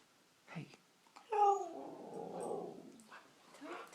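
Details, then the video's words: Siberian Husky Nixie, a pet, sweet-talking for treats: a short yelp, then a drawn-out talking moan that starts as a clear tone and turns into a rough grumbling rumble for about two seconds, with a person's voice nearby. "Our huskies talking like they do"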